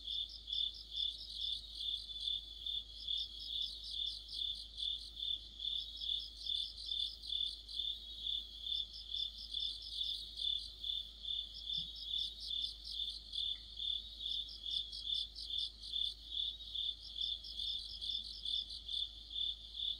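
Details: Deep-autumn orchestra of crickets and other insects, recorded by a streetlight. Continuous high-pitched chirps beat about twice a second while a second singer adds clustered rapid trills in bursts every two to three seconds.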